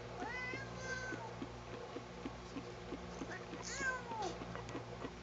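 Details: Sugar, a cat being combed against her liking, gives two clear meows about three seconds apart, each sliding downward at the end, with faint talking and a low background hum.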